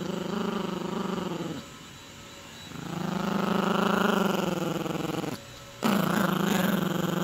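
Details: Yorkie puppy growling during tug-style play with a dog toy, a steady throaty rumble that swells and fades over a few seconds, stops briefly, then resumes loud and rough.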